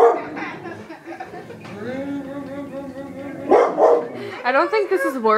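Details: Indoor pet dog upset by a vacuum cleaner; a steady vacuum drone, then two loud barks followed by rising and falling yelping, whiny barks.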